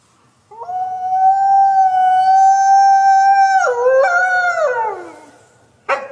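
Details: Gray wolf (Canis lupus) of a pack hunting hares gives a long, steady mid-pitched howl that wavers, breaks, then slides downward.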